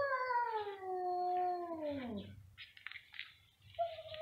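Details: Two domestic cats meowing very loudly, one long wail sliding downward and fading, followed by rustling noise and a brief higher note at the end.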